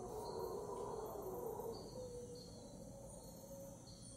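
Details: Unseen howler monkeys at 5am in Cocles, Costa Rica, heard as a distant, low, rough roaring howl that rumbles steadily and then fades. High insect trills run steadily above it.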